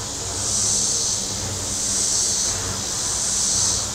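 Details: Cicadas on the warm shore of Table Rock Lake, Missouri, give a hissing, high-pitched drone that rises into three broad swells within four seconds, with a muffled low engine rumble from boats.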